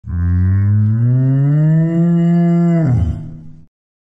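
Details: A large cow in a pasture gives one long, deep moo that holds steady and then drops away at the end.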